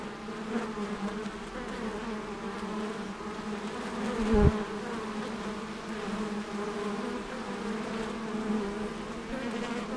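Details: Honey bees working at an apiary give a steady, droning hum with a low fundamental and layered overtones, holding evenly for ten seconds and broken once by a short thud near the middle.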